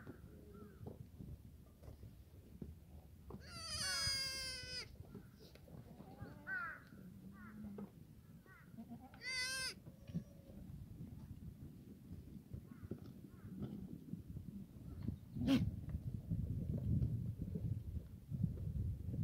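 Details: Black goats in a farm yard in Gimhae, South Korea, on a sunny Sunday morning; two wavering, harmonic bleats near four and nine seconds, then a sharp click and low rumbling yard noise.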